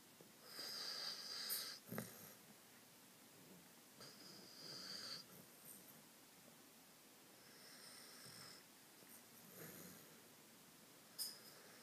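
A sleeping Cocker Spaniel snores in soft, breathy, wheezing rasps every few seconds.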